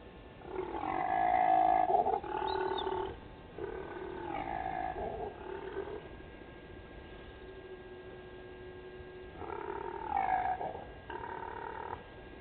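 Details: Impala ram during the rut at Gowrie dam waterhole, Djuma Game Reserve, Sabi Sand Wildtuin, South Africa, at night: harsh, snarly, roaring grunts in rapid throbbing bursts, a long sequence then a pause and a second burst.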